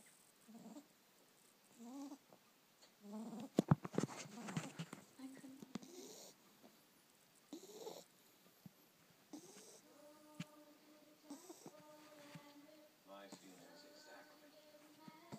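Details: Sleeping Boston Terrier puppy snoring: soft, wheezy snorts about every second or two, some rattling, with a faint steady whistling tone later and quiet background noise.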